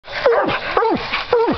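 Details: Duke and JR, two hunting dogs, barking at a raccoon they have treed during a coon hunt; three loud, ringing barks, each sliding down in pitch, spaced about half a second apart, with a man's voice after.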